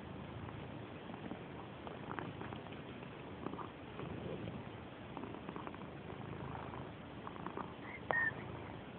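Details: Purdy, a female pet cat known for loud purring and rubbing eagerly against people, purrs in a steady low rumble throughout, with a faint brief squeak near the end.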